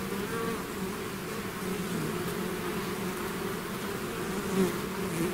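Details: Bees swarming out of their hive produce a constant low humming drone, two stacked tones holding steady throughout, thick chorus of wings with one nearer bee flaring louder near the end.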